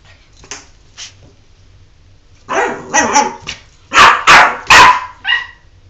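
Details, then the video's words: Jordan, a dog refusing to take a bath, starts with two faint yips, then breaks into a rapid run of loud, tonal, whining yelps that grow stronger toward the end before fading. "Jordan doesn't want to take a bath!"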